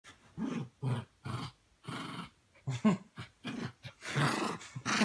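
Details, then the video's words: Male Pomeranian playing rough with another Pomeranian indoors: a run of short, gruff growling barks in separate bursts about half a second apart, louder and harsher near the end, with a person speaking softly. "Pomeranian all Bark and No Bite"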